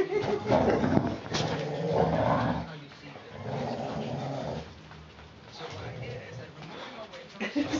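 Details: Puppies Mama Valentine and Hoyt, four weeks four days old, tussling on an afternoon of March 18, 2013; rapid, choppy growls and grunts in uneven bursts, a woman's voice cheering them on between them.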